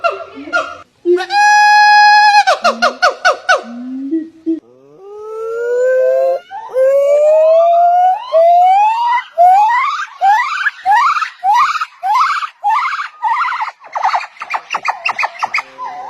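Monkey calls: a sharp nasal honk, then a run of rising whoops that climb higher and come faster.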